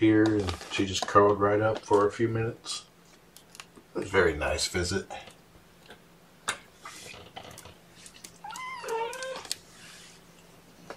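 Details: Kittens from Seraphina's rescued litter, Purrfect Pals, Washington, lunchtime on 2018-10-09 while being handled. Human talk fills the first half; later comes one wavering, bending meow in a quiet small room.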